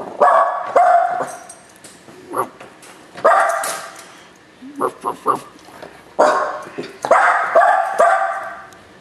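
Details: A dog barking at Macchi: bursts of sharp barks and yips in clusters, with some human voice mixed among the calls.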